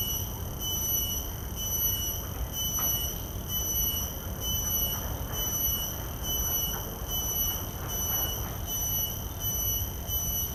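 A common cicada gives a steady, shrill, ringing drone that pulses faintly, over low traffic rumble.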